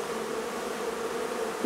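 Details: Hive of honey bees during removal from a barn in La Feria, Texas: an even, continuous buzzing drone with no other clear sounds, ending in a faint bump.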